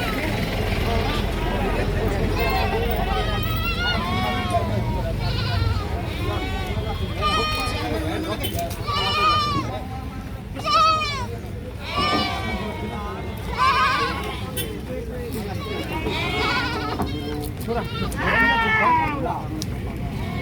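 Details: Goats (Capra hircus) bleat repeatedly in wavering, nasal cries that rise and fall, with human voices mixed in.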